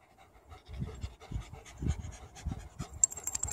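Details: Panting from a German Shepherd and a Shiba Inu during play, rapid breathy huffs repeating several times a second, growing louder toward the end, with faint higher rustling.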